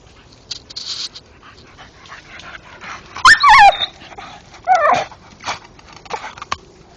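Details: Staffordshire bull terrier dog chewing a stump in the dark, making two short squealing yelps that rise then drop, separated by steady wood-crunching clicks and scrapes.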